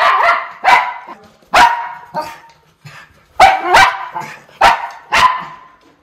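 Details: Miniature Schnauzer Lucky playing indoors with his brother Levi, running, chasing and jumping, sounding mean but only being vocal; loud harsh barks and growly yaps in bursts, about seven across six seconds.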